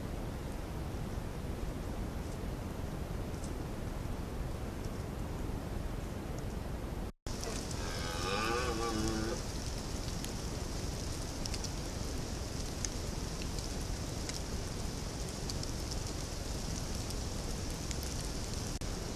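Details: A red deer stag (Cervus elaphus) gives a single deep, drawn-out rutting roar at night during the rut, over steady night insect hiss.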